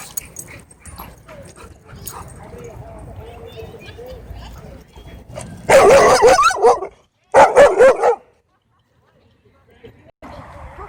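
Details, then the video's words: Dog at a dog park threatening to attack the person filming: two loud, harsh, bursting barks midway, the first about a second long, the second shorter, following quieter human talk calling the dogs over. "Dog Threatens To Attack Me For Filming At Dog Park"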